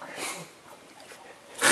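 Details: A hungry Tasmanian devil being fed pear at Cradle Mountain, Tasmania, in winter 2011 gives a short, rasping burst, then a loud harsh hissing screech at the end.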